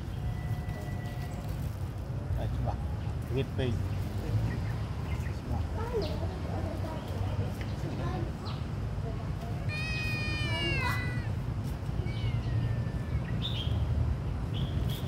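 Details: Hungry small kitten crying: one loud, arched, harmonic-rich mew stands out midway, with a few fainter short cries before and after, over a constant low rumble of background noise.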